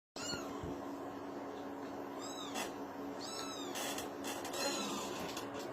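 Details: Kitten calling indoors: a few high, thin meows, each briefly arching up then falling, spaced about a second apart, over a steady low electrical hum and faint rustling.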